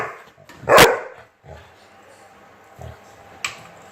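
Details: Chocolate Labrador Retriever facing a fidget spinner gives one loud, abrupt bark followed by quiet room sounds and a faint click.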